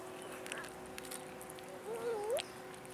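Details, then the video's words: An abandoned cat in a city park begs for food with a single drawn-out meow that dips and then rises sharply. A steady tonal hum and scattered clicks run through the background. "ABANDONED CATS IN OUR CITY PARK BEGGING FOR FOOD"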